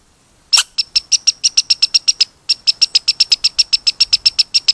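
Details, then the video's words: Squeaky red squirrel: after a loud opening chirp, a steady, rapid string of short, high squeaks, about four per second, with one brief pause midway. "Squeaky Red Squirrel"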